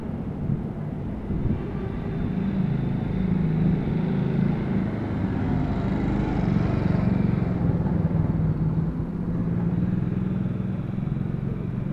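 A steady low engine rumble of passing road traffic fills the air, with no animal voice heard.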